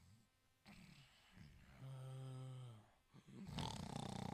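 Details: Sleeping Italian Greyhound snoring indoors: soft breathy sounds lead into one steady, low humming snore lasting about a second, followed by a burst of loud rustling noise.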